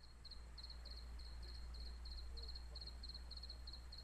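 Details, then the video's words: Cricket heard at night in Jelgava, Latvia, singing for more than a week: rapid high pulsed chirps in short bursts of two or three, repeating steadily, with a low background rumble. "Circket sound"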